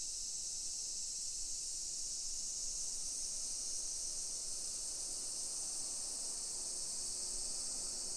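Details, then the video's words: Cicadas singing in summer in a modern hillside neighbourhood of Nisshin, about 20 km from downtown Nagoya, Japan, early afternoon, 28 July 2021; an even, hissing high chorus runs continuously with no pauses. "Summer Cicadas Sounds"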